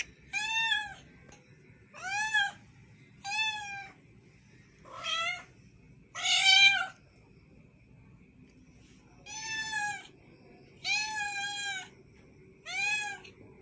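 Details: A cat mewing insistently: about nine clear, high, harmonic meows in a row, each under a second long, spaced a second or two apart, one noticeably louder and harsher than the rest.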